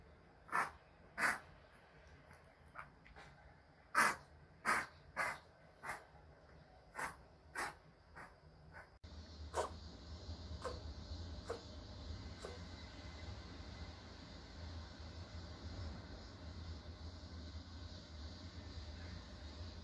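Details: Choco, a male Pomeranian born 13 May 2020 and ill for two months, gives a quick run of sharp, breathy sneezes or snorts, about nine bursts in nine seconds. Only a few fainter bursts follow over a steady low indoor hum.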